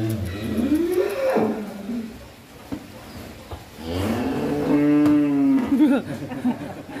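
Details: Horned bull of about one ton, agitated on its first time out of the pen, gives one long, loud, harmonic moo holding steady mid-clip, after men's excited talk and handling noises.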